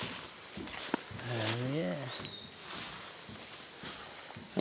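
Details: In Tambopata, Madre de Dios, Peru, a black howler monkey gives a brief, deep, throaty roar, a territorial call warning other groups away, over a steady hiss of insects.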